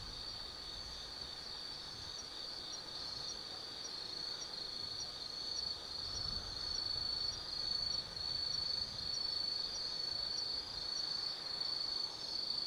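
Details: Autumn insects singing at night in Tsukimi no Mori forest, Kaizu, Gifu Prefecture, Japan, from a viewpoint 180 m above the Nobi Plain: a dense, unbroken high-pitched trill with slight swells in loudness.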